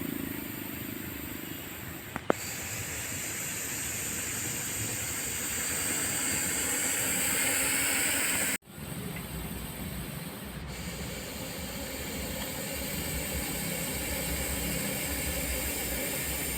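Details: Hissing from a rescued Russell's viper in India: sustained harsh, airy exhalations that swell slightly, stop abruptly midway, then resume as a steady breathy hiss.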